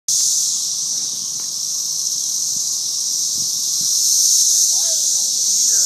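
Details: A swarm of cicadas: a dense, unbroken high buzzing drone that swells slightly near the end, with faint lower chirps and rustles beneath.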